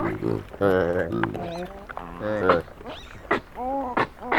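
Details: A noisy group of Hamadryas baboons squabbling over a sack of grain in northern Ethiopia, 2019, recorded close up on a Sony PCM D100: overlapping moaning, rising and falling cries and sharp barks, eerily human.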